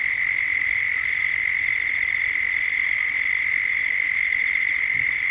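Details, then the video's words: Dusk cicada chorus from Gippsland, Australia, in a 3D soundscape: one continuous shrill buzzing tone without pause, and brief thin bird notes flicking in near the start. "Cicadas at dusk, Australia, Gippsland."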